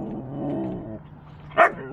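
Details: Rowdy Siberian Huskies, pet dogs, howl when their dad comes home: a wavering, harmonic, moaning howl held for about a second, a short pause, then one sharp high yip; a woman speaks just before.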